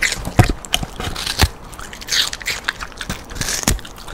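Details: Loud crunching as the dog Rando bites into pieces of sweet pear, a quarter-pear treat. Sharp snapping bites stand out among softer wet chewing, with short pauses between them.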